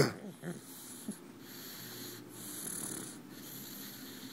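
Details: Pug snoring while asleep in its owner's arms, a soft wheezy, snorting breath with slow rising and falling swells, faint hiss in the background.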